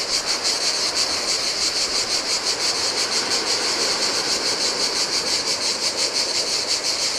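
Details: Chorus of cicadas by the sea on a desolate Greek island beach in summer heat, a steady shrill buzzing that throbs in quick regular pulses, with gentle wave wash underneath.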